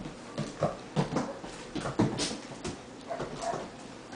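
A Rottweiler puppy gives short, soft whimpers and yips in quick, uneven bursts.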